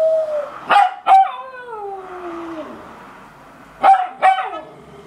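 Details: West Highland White Terrier. A West Highland White Terrier gives a wavering, wolf-like howl that slides downward in pitch. Short, sharp yips burst out in pairs before and after the drawn-out howl.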